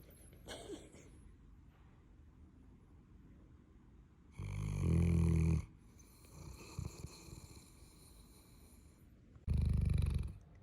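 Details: Loud snoring from Callie, a Neapolitan Mastiff: two heavy, low, vibrating snores roughly five seconds apart, each about a second long, with quiet breathing and soft rustles in between.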